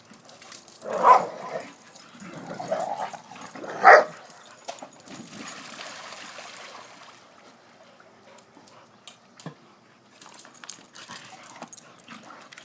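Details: Two Pit Bulls, aged 3 and 4, and a 10-year-old Wheaton Terrier play on and around a pool cover in a back yard. Two short, loud barks land near one and four seconds, with softer whining between them, then quiet rustling and scuffling.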